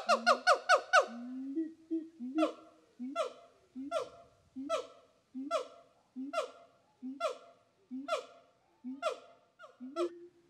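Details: A siamang (Symphalangus syndactylus) calls with a rapid burst of loud barking hoots, then a steady series of rising, harmonic calls.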